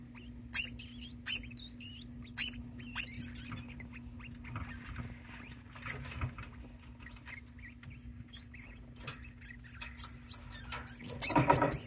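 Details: Pet degu calling repeatedly indoors while another degu joins in as if harmonizing; several sharp broadband clicks early on, then a long run of faint, fast, high chirping notes, ending with a louder burst.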